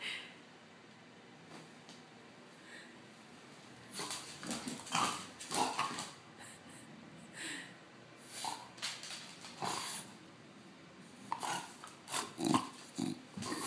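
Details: An excited French bulldog spins about, and after a quiet stretch it lets out rough snuffling, snorting bursts in irregular clusters, some louder peaks near the end.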